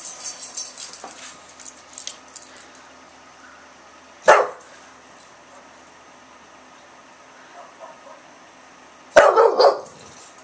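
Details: Milton the English Bulldog, barking from an Oklahoma home in September at a neighbour's small dog, gives two isolated barks about five seconds apart, separated by quiet, with rustling and faint household sounds at the start.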